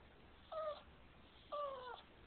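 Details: Boston Terrier that dislikes being kissed, giving two short, flat, high whines about a second apart, the second one longer, in a quiet room.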